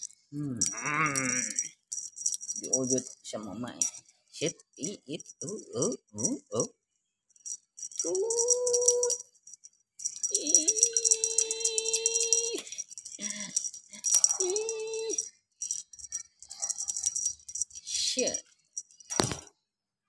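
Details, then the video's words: Hungry cats meowing while being fed: long, steady, level meows held for a second or two, plus shorter chirpy cries, over a constant metallic rattle of food and human voices nearby. "kucing kelaparan"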